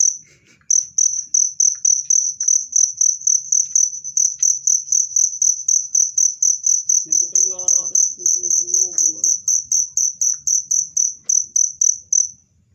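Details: Loud, clear cricket chirps used as a natural rat repellent: rapid shrill pulses, roughly four each second, run continuously before fading out at the end, while soft voices are heard briefly in the middle.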